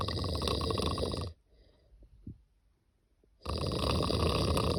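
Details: Sleeping cat snoring: a long, rasping, broadband breath, then about two seconds of near silence before the next harsh snore begins.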